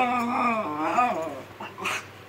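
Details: Khybee, a pet Miniature Schnauzer, protests indoors as his owner makes the bed in the morning: a loud, wavering moan sliding up and down, then short fainter whimpers, with household rustling behind.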